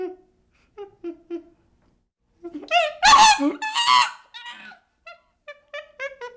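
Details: Baby chimpanzee calls: a few soft whimpers, then a louder harsh squealing outburst mid-clip, followed by a string of short rising whimpers.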